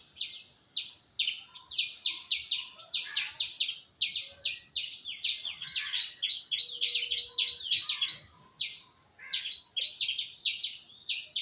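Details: Fast, dense squirrel chirping, around three notes a second. The chirps bunch into hurried runs near the middle, where the calls seem to overlap. There is quiet background noise.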